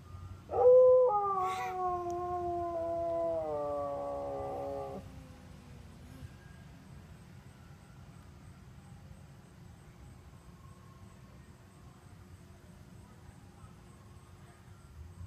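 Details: Ice cream truck tune sets Sonny, a Siberian Husky, howling: a sharp rising start, then a held howl for about four seconds that steps down in pitch, followed by quiet background hiss.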